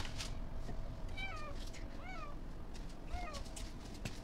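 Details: Pet cat Matsuri, eating outdoors on a windy day, utters three short, bright, down-curving meows spaced about a second apart, over continuous wind rumble and bursts of rustling.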